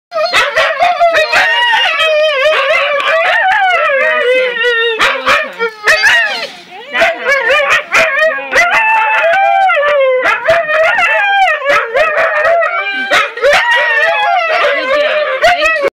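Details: Seven-month-old female husky puppy howling continuously, long wavering harmonic tones with rising and falling pitch, broken by short yips and sharp clicks, with a brief dip in the middle before the howling resumes.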